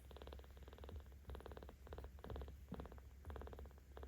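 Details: Seventeen-day-old kitten at a cat volunteer shelter in Tama City, Tokyo, purring louder while being petted; a steady rumbling purr in pulsed bursts, about two breaths per second, with handling rustles underneath.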